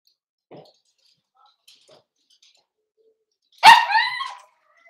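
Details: In a home puppy pen on 12/13/22, Cavalier King Charles Spaniel puppies meet several of the household's bigger dogs and are offered puppy mash: after near silence with faint rustles, a single sharp, high bark breaks out and trails off.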